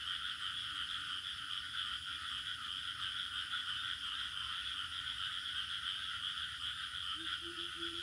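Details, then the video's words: Crickets calling in a village setting, a seamless high buzzing trill with a lower steady chorus band beneath, and three or four short low beeping notes in the final second. "Bunyi Cengkerik Katak Burung Suasana Kampung"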